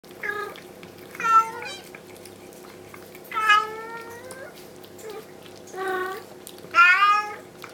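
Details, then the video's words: Bengal mother cat named Bella calling indoors, wanting her kittens carried back to the carpeted bedroom from the kitchen; five loud harmonic meows, some long and drawn out with falling pitch, spaced irregularly over a steady low household hum. "Kisangani Bengal Kittens - Shouty Mummy!"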